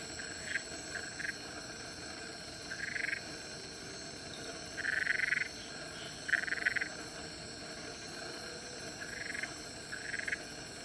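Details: Wrestling black-eyed litter frogs at Central Catchment Nature Reserve, Singapore, recorded 19 Nov 2016; repeated rasping, pulsed calls in bursts of under a second, louder around five and six and a half seconds, against a constant high insect drone.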